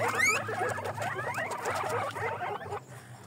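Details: Pet guinea pigs (cuyes) give a dense run of short, squeaky chirps and wheeks, rising and falling quickly and overlapping for about three seconds before trailing off, with a low steady hum underneath.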